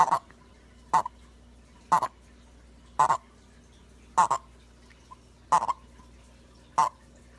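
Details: Pet smooth-sided toad Rasputin vocalizing in captivity; a series of seven short clipped croaks, each a quick double pulse, spaced about one second apart against near silence.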